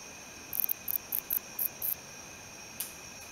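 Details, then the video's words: ['A male wingless meadow katydid calls with six quick, shrill, buzzy pulses about a quarter second apart, then one isolated faint click-like burst, over a steady high-pitched background tone.'] "O. apterum calling"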